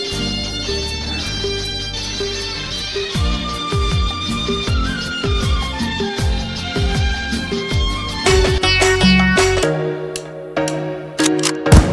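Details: Bollywood folk-style music with violin lines and a rhythmic low beat, building toward a busier passage at the end, no animal sound present.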